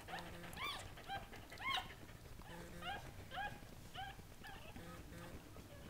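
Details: Newborn Goldendoodle puppies from a litter of seven, just after birth with their mother, give short high rising squeaky whimpers repeated about once a second over low rumbling background noise.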